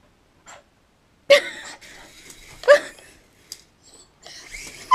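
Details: A dog barks at a helicopter indoors, giving two strong, harsh barks about a second and a half apart, mixed with yips and breathy whimpering, over a low hiss.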